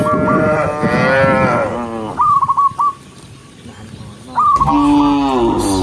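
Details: Cows just released from the pen moo while heading downhill toward grass on a bright morning: a long, wavering low call, then a quiet gap with repeated short bird chirps, then another steady, deep moo.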